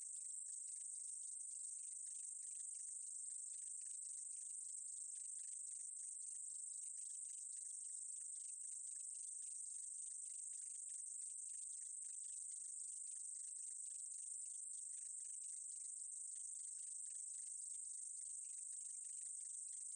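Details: Continuous thin, high buzz of a meadow katydid from a 2020 National Institute of Biological Resources recording, with quick irregular clicking pulses running beneath it and no competing sounds.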